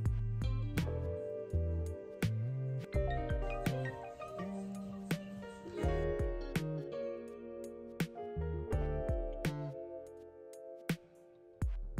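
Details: Mallet-percussion music with marimba-like notes over a deep bass line; no animal sound present.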